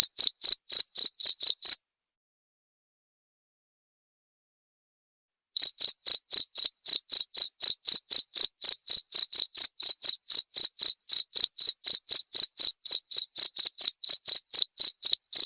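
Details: Cricket calls made as songbird master audio and therapy sound: rapid bright chirps at about four per second, a silent pause of nearly four seconds, then a long unbroken run of the same regular chirping.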